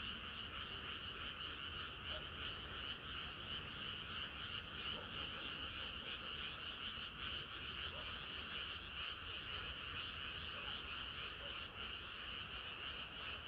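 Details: Summer-night frog chorus, many frogs croaking at once in a continuous, thick wall of quick pulsing notes, high and even throughout with no pauses and a low rumble underneath.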